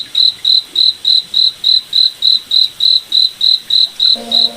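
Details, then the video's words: Crickets at night in a moonlit forest: an even train of short, high, shrill chirps at about three and a half per second, with a brief low humming tone near the end. "Cricket Night Forest Ambience"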